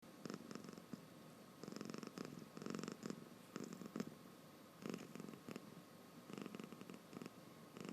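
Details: A sleepy cat snores with its eyes open indoors, giving soft raspy breathing bursts roughly every second, each a short low rustling rattle with pauses between.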